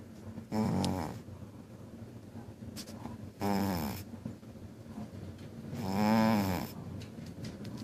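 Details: A pet cat snores loudly indoors while napping: three long, rasping, buzzy snores about every three seconds, with quiet breathing between them.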